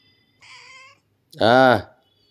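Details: A pet cat, after fighting or playing, asks to be massaged. A faint, flat tone is followed by one loud, drawn-out meow that rises and then falls.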